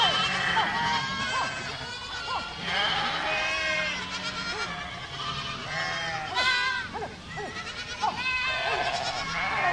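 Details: A herd of goats (Capra hircus) on a farm bleat over one another in wavering, nasal, overlapping calls.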